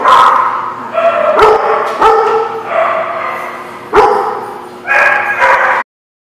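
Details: Dogs recorded on 24 October 2016, giving a run of short, loud barks and yips with whining, tonal stretches between sharp onsets, about seven bursts in six seconds, ending abruptly.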